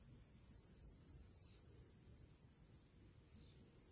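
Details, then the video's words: Crickets singing a pre-evening summer song in nature among purple flowers: a steady high, thin continuous trill, swelling and fading in loudness, over a soft low rumble of background noise. "Moments of relaxation with purple flowers and cricket sounds"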